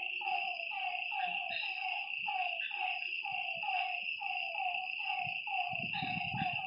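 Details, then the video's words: Frogs calling at night beside a lake: a dense chorus of short, downward-sliding croaks repeating roughly once a second and overlapping one another, over a steady high insect drone, with faint low thumps now and then. "Lakeside night creatures and frog sounds"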